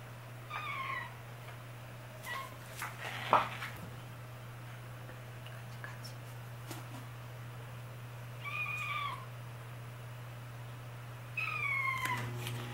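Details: Kitten brother and sister crying on a newly climbed cat tower, able to get up but not yet used to getting down; several short, high, wavering meows scattered across the stretch, with faint rustles and thumps and a constant low electrical hum.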